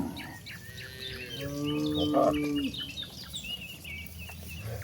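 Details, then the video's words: Herd of cattle wandering to a spacious pasture; a single moderate moo swells and fades over about a second, surrounded by busy chirping birds and soft background noise. "Suara sapi moo yang sedang berkeliaran menuju Padang rumput yang sangat luas"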